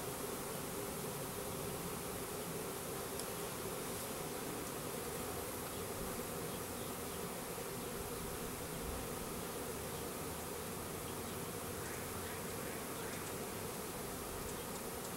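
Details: Honey bees of a Russian/Carniolan hybrid, a 3-pound package with one queen, going into a new hive in April 2012; sustained buzzing swarm hum, steady in level, with a few faint higher flickers of individual bees.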